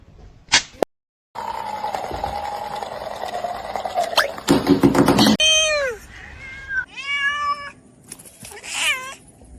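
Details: Kitten meowing indoors: after a stretch of loud clattering and noisy rustling, a run of high, bending meows rises and falls in quick succession, several close together. Human voices and household noise come and go around the calls.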